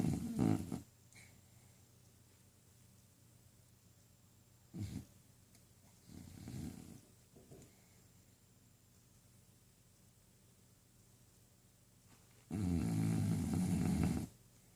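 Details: Sleeping pet dog Tilly, dreaming, lets out scattered snores: a short burst at the start, brief snorts mid-clip, then one loud, gravelly, low snore near the end after a long quiet stretch indoors.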